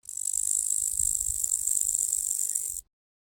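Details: Grasshopper stridulating: a very high, dry, rapidly pulsing rasp sustained for nearly three seconds, with soft low rumbles beneath.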